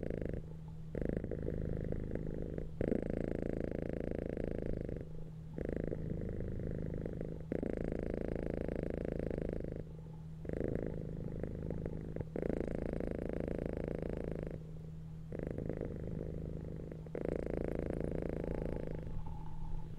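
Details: Purring cats resting on a bed: a loud, steady, pulsing rumble that runs almost unbroken, with brief breath gaps every two to three seconds and a low constant hum underneath.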